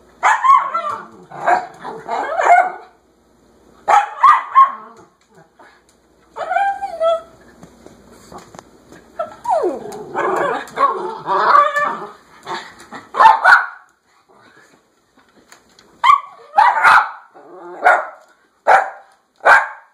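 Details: House dog pleading to be let outside, with clusters of loud yaps separated by short silences, a drawn-out falling whine in the middle, and a closing series of evenly spaced sharp barks.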